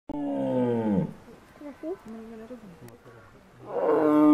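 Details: Tiger at Ostrava Zoo: one long, deep, harmonic roar falling in pitch over about a second, a quiet stretch with low murmuring, then the start of another strong roar at the end.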